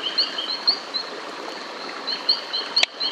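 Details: Several White-lipped Horned Toads by a high-elevation stream at the southern tip of the Annamite range, Vietnam, singing in mating season, give high bird-like tonal chirps about twice a second.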